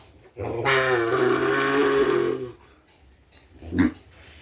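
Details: Madura kerapan cattle, seed stock fetched from Sapudi Island, in a village yard. A steady, deep moo holds for about two seconds, then a short sharp sound follows after a pause.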